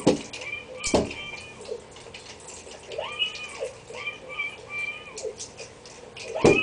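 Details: A female Shiba Inu playing with a treat ball, trying to get treats out, gives drawn-out, arching whines among clatters and knocks of the rolling ball.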